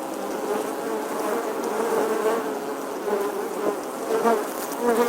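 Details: Bee in summer giving a steady buzzing drone, the hum shifting slightly in pitch and growing a little louder toward the close.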